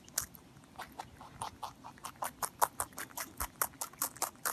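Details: Pet rabbit eating, rhythmic crunching bursts about two to three per second, growing louder toward the end, in a quiet room.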